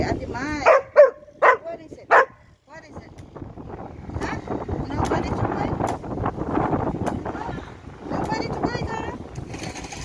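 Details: Dog standing on a table indoors while being offered chips, barking in a quick burst of four sharp yelps at the start, followed by a woman talking and steady background noise with rain mentioned.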